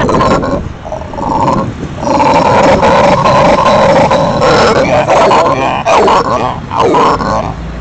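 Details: A pet red howler monkey gives a deep, rasping roar in long, grinding bursts that swell and fade; the owner suspects it howls because it has become an adult.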